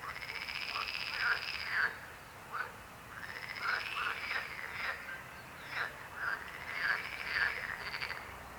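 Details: Croaking frogs, irregular clusters of short rasping croaks roughly twice a second, over a sustained high buzzing trill from other callers.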